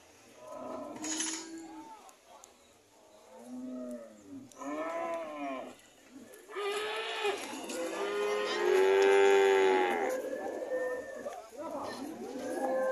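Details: Red cows heading home, a series of short arched moos from several animals, then a long loud sustained moo near the middle, with quieter lowing before and after.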